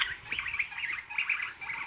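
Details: A guinea pig gives soft, high, chirpy squeaks in quick bursts. Its owner suggests such sounds mean hunger, or exploring, as when it is new to the house.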